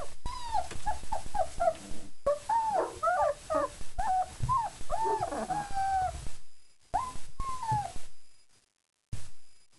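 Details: Four-week-old German Shepherd puppies just after a meal of kibble, yogurt, nutritional yeast and raw chicken, whining and whimpering together in many overlapping squeaky, wavering cries that rise and fall, some short yelps, with brief cuts between takes.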